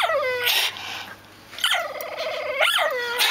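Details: A dog with an unusual squeeze-toy bark gives a falling squeak, pauses briefly, then two more squeaky rising-and-falling yelps separated by a warbling whine.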